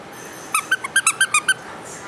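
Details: Small, lively young male Papillon dog giving a quick series of eight short, high squeaky yips in little more than a second, over steady background hiss.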